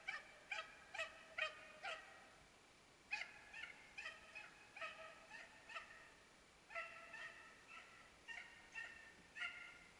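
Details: Dachshund hunting dog chasing a hare in Norrland, Sweden, baying from a distance: clear tonal, ringing barks in quick bursts of four to six, roughly twenty-five in ten seconds, with short pauses between bursts over a quiet background.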